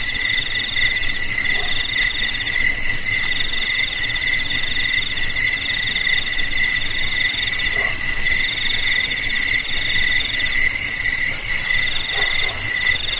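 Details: Crickets in a rat-repelling recording, several high trilling voices overlapping in a dense chorus, pulsed chirps roughly twice a second over continuous shrill ringing, a few faint lower clicks.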